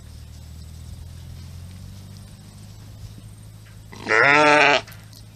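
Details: Sheep on a farm giving a single loud bleat of under a second near the end, harmonic and wavering, after a quiet stretch of low rumbling background noise.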